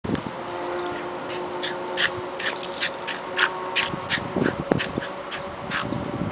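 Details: A Pembroke Welsh Corgi freaks out, letting out a rapid, frantic string of sharp, harsh barks and yelps.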